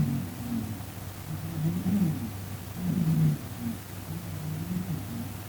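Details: Sleeping pet cat MEE, snoring loudly at night and sometimes talking in its sleep: continuous low, rough rumbling with rising and falling breath swells, peaking around two and three seconds, no other sounds.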